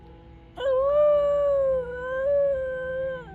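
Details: A captive New Guinea singing dog at a wolf and wildlife center in Colorado gives a clear, sustained, tonal howl that wavers and steps up in pitch.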